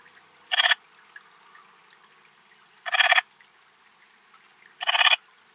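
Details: At Timmelsjoch, Italy, on 26 August 2022, an Eastern Mountain Bush-cricket (Antaxius difformis) produces three short scratchy chirps of rapid pulses, each under half a second, repeated roughly every two and a half seconds in a quiet setting.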